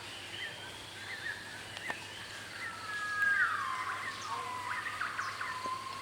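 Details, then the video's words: Gibbons calling at park headquarters in Cat Tien National Park, Vietnam: a long, sliding hoot that falls from high to lower pitch, then further drawn-out wavering notes, with faint bird calls and a steady insect hum behind. "Sound of Gibbons in Cat Tien National Park, Vietnam"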